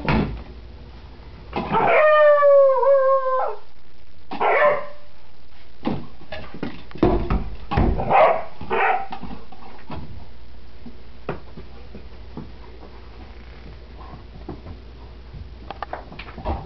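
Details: Dog named Beetle playing with a Tease Ball puzzle toy, letting out a wavering rising-and-falling howl at about two seconds, then short yips and barks mixed with clattering from the toy.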